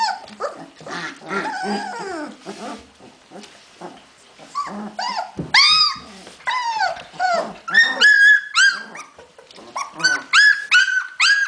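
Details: Several Hungarian Vizsla puppies, recorded 15 February 2011, whimpering and squealing together; mixed rough grumbles give way to high, arched whistled whines, some held steady, coming in uneven bursts.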